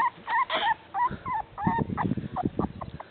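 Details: Beagle puppies, away from their mother and said to be cold, give high tonal whines that bend up and down, several in quick succession, then fade into softer broken whimpers and rustling.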